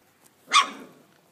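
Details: Dobermann puppy, about one month old, filmed in Cambuquira, southern Minas Gerais, Brazil, on 17 May 2012; a single short, sharp bark, followed by a person speaking.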